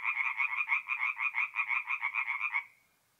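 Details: Single burst from tree frogs at a north-east Italian forest pond on an April night: about fifteen quick, harsh, evenly spaced pulses over two and a half seconds, then silence.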